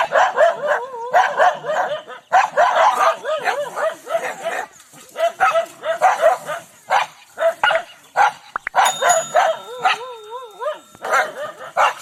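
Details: Angry village dog in India barking during a dog fight, with rapid, harsh repeated barks almost without pause, mixed with wavering yelping whines near the end and a faint steady high tone in the background.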